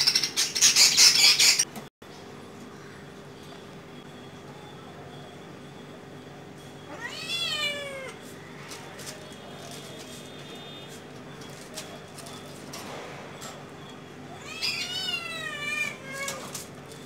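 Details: Domestic cat while hunting a small bird, giving two drawn-out wavering meows with rich harmonics around seven and fifteen seconds; a loud burst of rapid clicking chatter opens the recording, with a steady low hum underneath.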